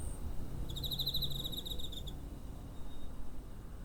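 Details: Cricket near home, 7 September 2023, TASCAM DR-05. One thin, high, quickly pulsing chirp train of about one and a half seconds, somewhat soft, then only faint low background noise.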